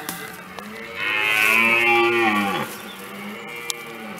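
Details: A red deer stag in France gives a deep, drawn-out bellowing roar that drops away at the end, its rutting call during the autumn rut of 2017.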